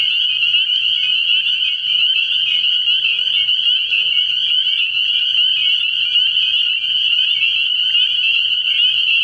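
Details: Many spring peepers calling together from a frog pond at night in early year, their sharp whistled peeps merging into a constant shrill trill, plus a brief faint low sound near the middle.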